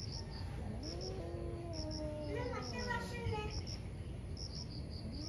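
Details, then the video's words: Two fierce cats squaring off in a morning fight: a long low growling yowl bends upward then down, joined by a brief higher rising wail, crickets pulsing steadily throughout. "Cat Fights cat | Angry Cat caught on camera | gato briga com gato"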